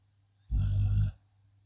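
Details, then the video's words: Blue Akita Inu asleep, letting out a single throaty rumbling snore lasting over half a second over a faint steady background hum. "snoring akita"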